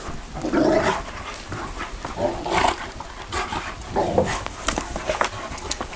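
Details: Bucovina Shepherd Dog giving repeated deep barks roughly every second, harsh and broadband, with steady background noise between them.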